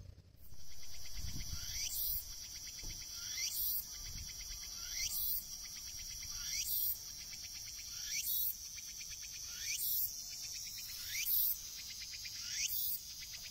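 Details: A Walker's cicada (Tsukutsukuboshi) on a seaside tree in autumn, in cool weather that seems a little cold for it, sings slowly: a steady high buzz broken by rising sweeps about every one and a half seconds.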